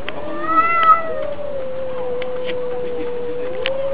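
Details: Domestic cats fighting: one long, drawn-out yowl holds a steady mid pitch for nearly four seconds, wavering slightly and swelling briefly near the start with strong overtones, then rising a little at the end over low background rumble and faint clicks.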